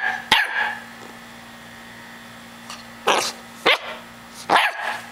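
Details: Puppy barks from a chocolate Labrador runt: four short shrill yaps spaced unevenly over about five seconds, with a low steady hum in the background.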